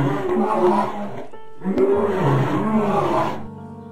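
A lion gives two deep, rasping roars, each swelling and fading over about a second and a half, with steady musical tones underneath.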